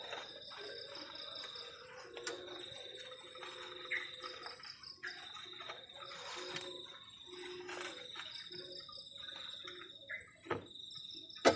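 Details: Continuous high, finely pulsed cricket trill on a cold night at a garden shelter by the forest, with scattered clicks and low clatter from camp cooking around it.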